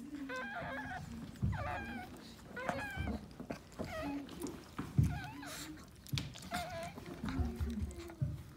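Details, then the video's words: High, quavering squeals and whimpers repeated in quick bursts from a Maltese dog birthing her second puppy, in a litter of three, with muffled handling noises and a low voice underneath. "Maltese dog giving birth"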